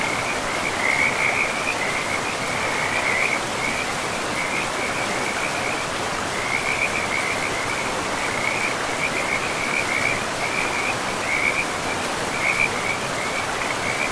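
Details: Forest river frogs in a pristine, mossy woodland: high pulsed trills come in bursts every second or two, broken by a few short pauses, while the river's broad rushing noise fills the background throughout.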